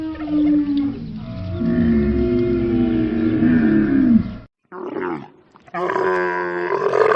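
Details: Camel giving a sustained, groaning roar that wavers in pitch for about four seconds, breaks off into near silence, then resumes as a harsher, strained bellow.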